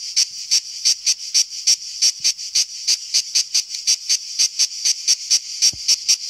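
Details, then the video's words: Cicada singing in summer, a shrill deafening insect; sharp high buzzy pulses repeated about three times a second, steady and evenly spaced. "Il Canto della cicala-The song of the cicada"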